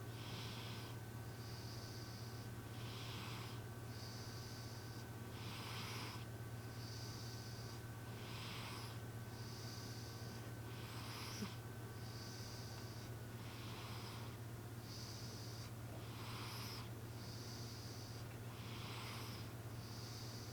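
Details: Sleeping cat named M, snoring with humanlike snores indoors: hissy breaths alternate in and out about every 1.2 seconds, a steady pattern over a constant low electrical hum and faint room noise.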